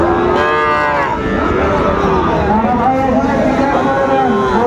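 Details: Cattle lowing at the traditional Raniganj livestock market in Dinajpur, Bangladesh, on a Thursday market day where Sahiwal bull calves are traded. Several deep harmonic moos, some rising and falling, blend over a steady noisy crowd hubbub.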